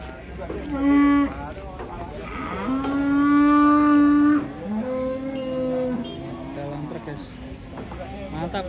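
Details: An agitated cow, rampaging and swimming in water as residents crowd round, gives a series of loud moos: a short bellow, then a long sustained low moo and two further drawn-out calls, with faint voices behind.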